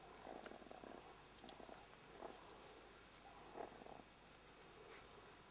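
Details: Jackal pups under attack by a meerkat at their burrow give three short, harsh, buzzing growls spaced about a second apart, over a faint hiss with occasional scratchy clicks.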